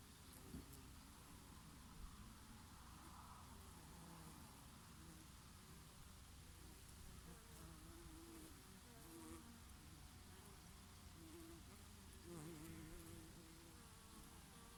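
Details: On oregano blossoms on a summer day, several bees drone continuously; their wavering hum rises and dips as they shift between flowers, layered over a steady breeze.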